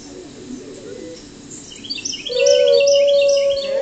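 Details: A gray wolf howls in reaction to other wolves howling: a steady, drawn-out howl on one even pitch, with birds chirping busily behind it.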